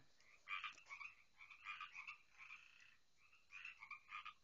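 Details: A dense night chorus of many frogs at a garden pond, loud and constant; rough, buzzy croaks and trilled notes overlap from numerous callers, rising in bursts every second or so.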